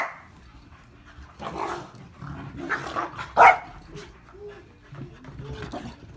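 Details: Two agile corgis chasing each other: rough panting and low growly rumbles build up, then one sharp, loud bark bursts out midway, followed by softer short whines and huffs.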